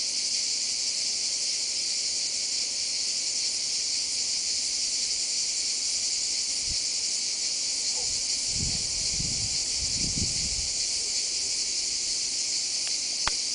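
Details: A continuous shrill drone from courting male cicadas holds steady throughout, over quiet low rustles and a few brief bumps near the end.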